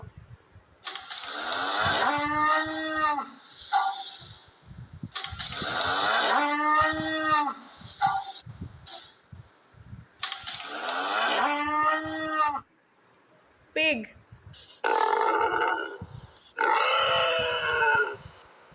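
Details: Cow mooing: three long, drawn-out, richly harmonic moos, each rising then falling and lasting over two seconds, followed by shorter, rougher lowing calls and a few soft clicks.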